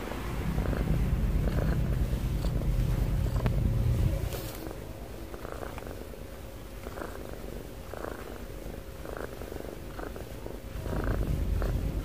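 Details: Domestic cat snoring and breathing heavily: a deep, steady low rumble, loudest over the first four seconds, then softer and even, swelling again near the end, with faint scattered higher clicks.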